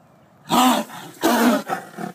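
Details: A tiger charges at the cameraman, giving two harsh, rasping roars in quick succession, then a weaker third burst.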